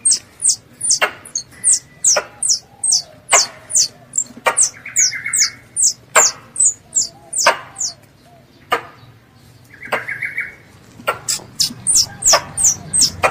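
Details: A squirrel calling to its mother gives long, dense runs of shrill, falling chirps at about two per second, with sharp clicks and two brief lower buzzy notes.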